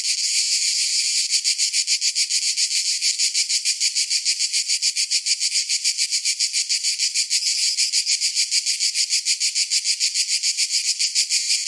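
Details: Cicadas singing in summer: a dense, hissing high-pitched buzz pulsing in quick regular beats, about three or four per second, steady and unbroken throughout with no other sounds.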